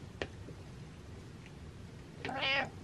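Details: Domestic cat giving a single short meow near the end, over a steady background hiss and low hum.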